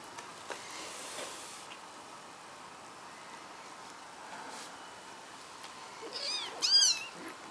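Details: British Shorthair kittens aged 3–4 weeks during rough morning play with their older sister give a quick burst of high, thin, squeaky mews after a quiet stretch.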